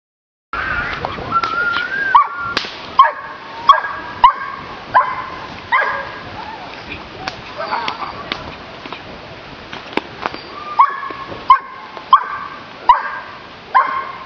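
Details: Giant Schnauzer dog giving a run of short, high, tonal whining yelps with a falling bend, spaced about a second apart and often in pairs, with scuffing and clicking noises between them.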